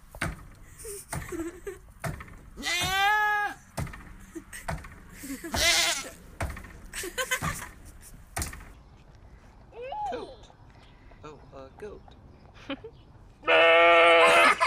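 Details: Adult goat with baby goat: long quavering bleats, strongly harmonic and wavering in pitch, early on and again loudly at the end, mixed with a person talking, knocks and rustling between the calls.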